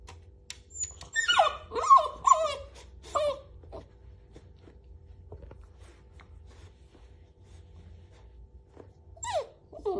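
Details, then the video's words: Angry puppy protesting as its mother keeps pulling away its blanket indoors: a burst of high, wavering whiny yelps and grumbles over about two seconds, then quiet, with one more rising yelp near the end. "Adorable puppy gets mad that mom keeps pulling his blanket."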